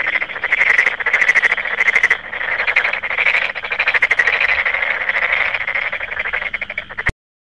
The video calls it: 개구리 소리 u [2마리-영상]